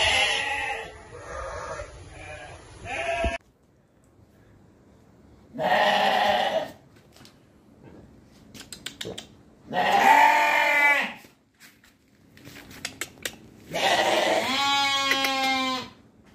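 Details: Sheep giving loud, quavering bleats, four separate calls each about a second long with short silences between, the last one strongly vibrato.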